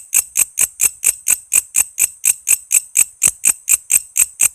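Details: Walang kece cicada in lively chirping, used to train songbirds such as shama, lovebird, leafbird and magpie-robin; crisp, shrill clicks repeated roughly four times a second, even and unbroken.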